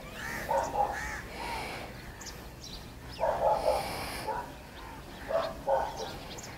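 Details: A German Shepherd cross, in Pakistan, whose bark is likened to a bulldog's, gives short, hoarse barks in irregular bursts, some doubled, against a steady background hiss.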